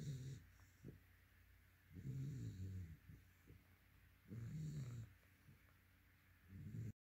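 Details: Yellow-white Labrador Retriever asleep, giving low, throaty snores roughly every two and a half seconds, four breaths with a slight growly rattle and soft snuffles between them.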